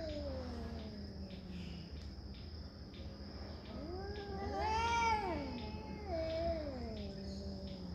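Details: Territorial cat fight: a low descending growl-moan opens. A loud harmonic yowl then rises and falls in overlapping arcs around the fifth second, with wavering wails after it and steady insect trilling behind.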